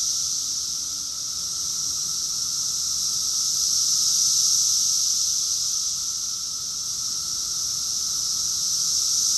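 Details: June 2021 summer chorus of cicadas, Rockville, Maryland, USA: continuous piercing hiss-like drone with gentle slow swells in volume and a soft steady lower tone underneath.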